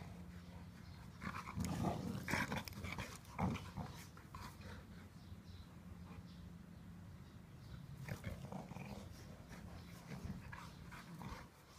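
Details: Blue brindle Cane Corso Inga and her sister Laima playing together, giving low rumbling play growls with a steady droning tone, louder bursts near two and three seconds, and scuffling and thumping noises throughout.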